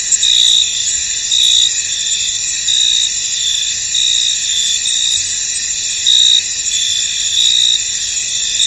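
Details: Crickets calling in a misty field, a sustained high buzzing chorus punctuated by louder chirp bursts recurring about every second and a half.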